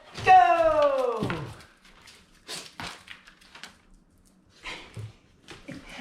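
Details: Basenji named Zulu Joy, a barkless dog, giving her "boop" indoors when petting stops: one loud, harmonic, falling tonal note lasting about one second, followed by soft rustles and handling sounds.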